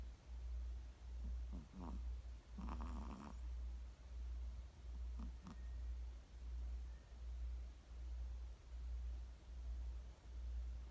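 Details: Sleeping Chihuahua's snore, a deep pulsing rumble repeated about every 0.8 seconds with very even rhythm, with a few rattling nasal snorts near the start, then settling into smooth regular breathing.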